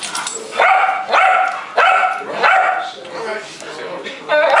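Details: Indoor group of house dogs, including a visiting Pekingese, begging for a bite of food from a man; sharp, ringing yips repeat about every second amid human speech and shuffling.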